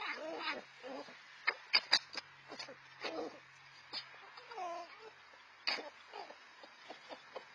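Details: Red fox siblings, four to five months old and out on their own, squabbling over food; sharp yelps, whining squeals and rasping cackles break out in short irregular bursts over a quiet background.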